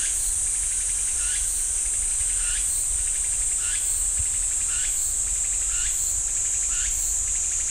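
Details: Cicada chorus in the pine forest of Ssanggyesa temple, Jirisan National Park: a constant piercing drone overlaid by louder repeated swooping, rattling phrases arriving about every second.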